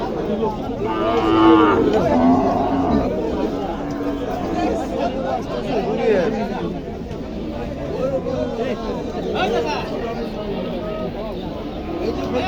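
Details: Dairy cows with calves aged one, five and seven days at the Aricha cattle market: a drawn-out, low lowing moo rises early on, then fades beneath busy crowd chatter and men's voices bargaining across the market.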